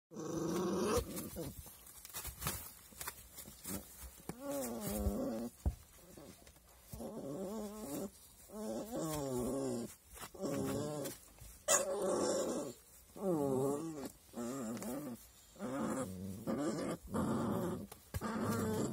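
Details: Puppies vocalizing in a long series of drawn-out, wavering, harmonic growls. The bursts rise and fall in pitch, each lasting about a second, with short gaps and faint clicks and rustling between them.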